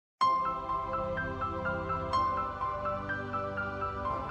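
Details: Bright mallet-percussion music like a glockenspiel or marimba, a cheerful plucked melody of repeated ringing notes over a soft low accompaniment, with no animal voice present.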